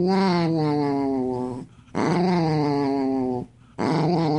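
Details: A pet dog making drawn-out growling noises indoors in a small room; three long, harmonic growls, each about one and a half seconds, with short silent gaps between.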